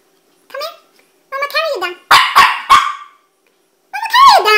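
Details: Puppy reluctant to go downstairs, whining in rising and falling tones, then three rapid harsh barks and a final drawn-out whimper, in a small room.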